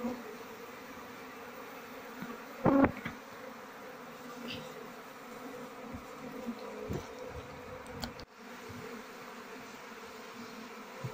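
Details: Asian honey bees (Apis cerana) of a queenless colony, combs filled with honey but no larvae, buzzing steadily at a low hum while the hive is opened to search for the queen, with sharp handling knocks and clicks.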